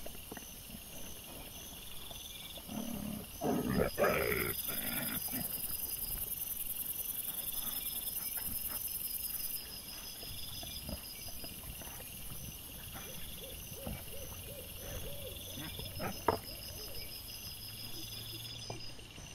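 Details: Camera-trap recording of wild boar from 17 September 2024: a cluster of deep, coarse grunts and snorts around the third to fifth seconds, then quieter scattered rustles and clicks beneath continuous shrill insect buzzing.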